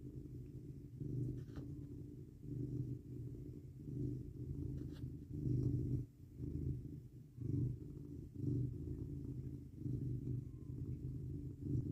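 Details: Male house cat leaning against a person in bed on a cold 19 °F night, purring softly; a quiet continuous low rumble pulsing in breath cycles, with faint rustling.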